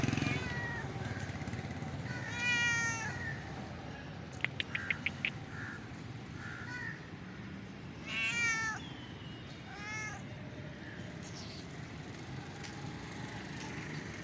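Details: Blue-eyed street cat making cute noises outdoors: several short harmonic meows, a rising-falling one near two seconds, a pair of wavering calls around eight seconds and a brief one at ten, over a steady low rumble of traffic-like background noise with a few clicks.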